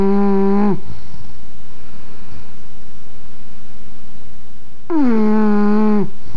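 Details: English bulldog snoring indoors: loud buzzy, harmonic-rich snores about four seconds apart, each lasting roughly a second with a slight downward droop at the end, with a quiet hum between breaths.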